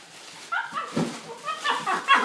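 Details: Pet dog named Louie, just given a new toy, giving short high whining yips with bright tonal bands, a few spaced cries over two seconds, rising in loudness toward the end, indoors with little else heard.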